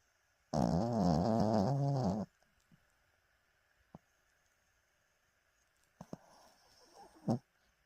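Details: A 14-year-old pet dog asleep and dreaming after a big breakfast; one wavering, nasal snoring groan for under two seconds, then near silence with a few small clicks and rustles.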